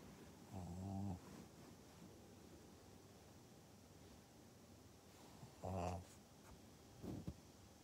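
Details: A Pug in Japan, recorded on 14 November 2020, giving two low, rough snorting grunts about five seconds apart, then a softer snuffle, over steady background hiss.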